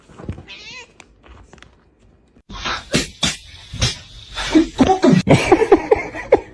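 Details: Domestic cat in a funny pet compilation, giving a short rising-and-falling meow, then a burst of clattering and rustling noise mixed with further brief, strained meowing calls toward the end.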